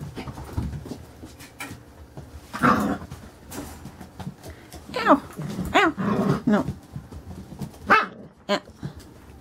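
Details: Carolina Dog puppies aged five weeks four days at play inside a room, giving a run of sharp, arching yips and squeaky barks, several in quick succession, over scrabbling paws and a woman talking gently.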